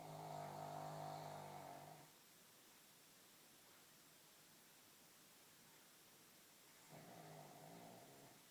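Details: A two-year-old pug snoring in its sleep after a busy day: one long, raspy snore lasting about two seconds, a quiet gap of several seconds, then another rattling snore begins near the end.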